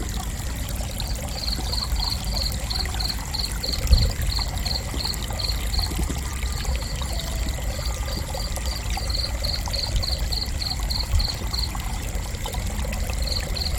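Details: Intermittent cricket chirping: runs of high, evenly spaced pulses with several gaps, set against a constant low murmur of flowing water and a couple of soft knocks.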